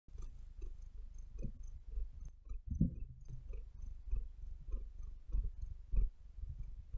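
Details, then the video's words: Maia, a pet cat, purring steadily close up: a deep, continuous low rumble that swells and eases with each breath, with faint soft rustles from her claws kneading the bed. "Cat Purring"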